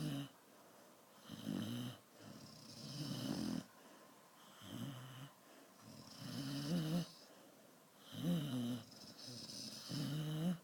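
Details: Sleeping Dalmatian snoring indoors in tune with its owner: deep, rasping, low-pitched snores in slow rhythmic bursts about every two seconds, with a brief gap between each breath.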